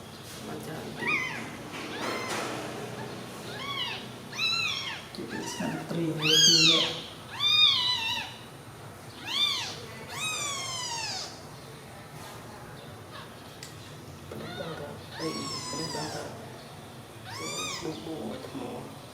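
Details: Newborn kittens sleeping together after milk, giving repeated high thin mewing calls, each a rising-falling whine, roughly one per second in bursts, with a faint murmur of human voices in the background.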